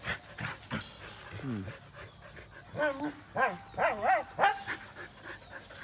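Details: Playful Thai Bangkaew dogs, three of them, running around and giving a quick run of short rising-and-falling yelps and whines, with a person talking over them.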